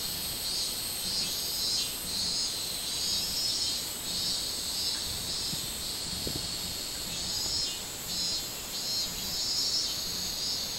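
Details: Minmin cicada, 24 July 2016, droning in a high shrill band with even throbbing pulses, joined midway by a few soft low knocks near six seconds.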